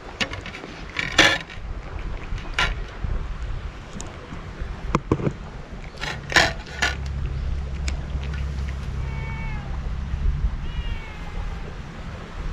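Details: Stray cat wearing a scarf on a cat island, met on an empty road and fed Kalkan and Churu treats. It gives two short harmonic meows near the end, over clicking handling noises and a steady low engine-like hum.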